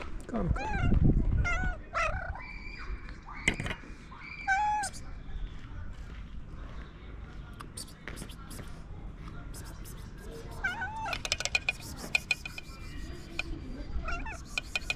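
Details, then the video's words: A cat that had been sleeping on top of a car wakes up and makes strange noises: several short, tonal, whining meows with bent pitch, clustered in the first five seconds, then fainter cries near the end, over outdoor clatter and human voices. "A cat sleeping on top of a car woke up and started making strange noises"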